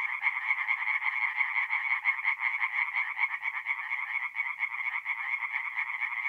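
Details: Forest pond at night in north-east Italy, mid-April, full of singing tree frogs: an unbroken wall of rapid rasping croaks, pulsing in loudness, with nothing else audible.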